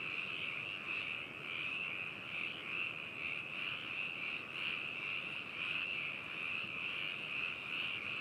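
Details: Many frogs calling together at Hakushu in Hokuto City, Yamanashi, Japan, binaural stereo recording from 4 May 2018; steady, unbroken chorus of rapid rattling croaks swelling and fading slightly every second or so.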